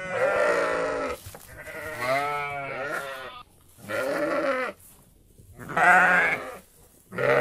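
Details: Loud, long sheep bleats among goats. Four or five drawn-out, tremulous cries, each lasting about a second, separated by short quiet gaps.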